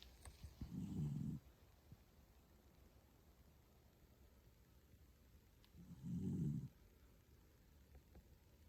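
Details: Sleeping Toy Poodle Pusuke gives two deep, throaty snores roughly five seconds apart, each a rough low rumble lasting close to a second, with quiet room noise between.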